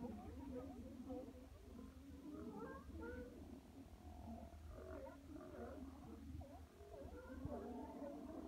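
A crowd of sea lions keeps up a rough chorus of deep, throaty roars and wavering moans. The voices overlap constantly, with a low rumble underneath the whole time.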